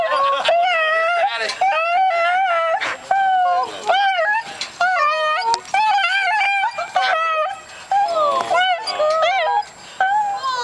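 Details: Emotional pet dog greeting a family member returning home indoors: long wavering whines and howl-like moans rising and falling, nearly continuous, with people speaking warmly alongside in a small room.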